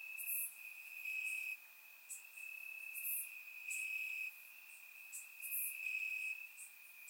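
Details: Summer-night crickets chirping in Bulgarian grass: persistent shrill trilling that pulses louder in half-second to one-second bursts, accompanied by three bright, very high chirps spread across the recording.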